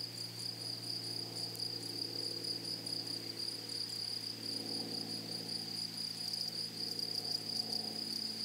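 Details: Flowery meadow grasshoppers keep up an unbroken high-pitched buzzing trill, with a steady low mechanical drone underneath and a few brief clicks.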